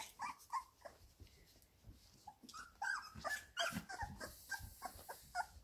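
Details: Seventeen-day-old Labrador Retriever puppies at play in their whelping box; soft whimpers and brief squeaky grunts come in quick uneven succession over low rustling.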